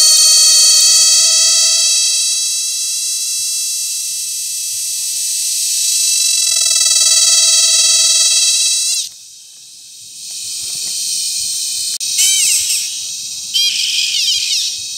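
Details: Mating cicadas in La Carlota City, Negros Occidental, Philippines, recorded July 18, 2020, make a droning whine with stacked tones for nine seconds. It breaks off abruptly, then returns as a harsh, high, crackling buzz with sudden loud surges.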